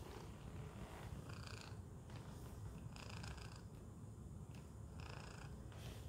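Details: Tacy, a pet cat settled in a Chewy cardboard box, purrs in a steady low rumble throughout, with a few soft brief rustles or clicks above it.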